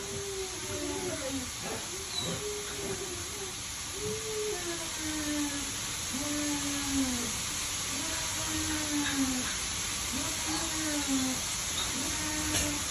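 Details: Huskies playing together during mating produce a long series of soft, arching whines, each rising then falling, repeated every second or two beneath a constant hiss.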